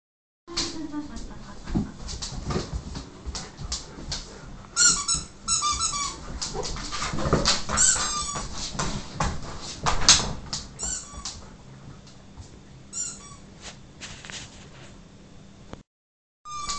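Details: Siberian huskies driven wild by a squeaky toy indoors: high, thin whines and squeals rise and fall in bursts, mixed with sharp toy squeaks, clicks and scuffling, before a short silence near the end.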